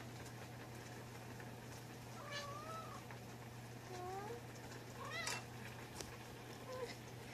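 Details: Affectionate Munchkin cat recorded on 4 January 2020, giving a series of soft, short meows with gently bending pitch, about four calls spread over several seconds, over a steady low electrical hum and faint room noise.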